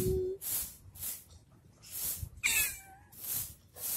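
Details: Domestic cat playing with a stick gives a single short meow, sharply rising then sliding down, against regular rhythmic bursts of rustling, hissing noise that pulse roughly twice per second.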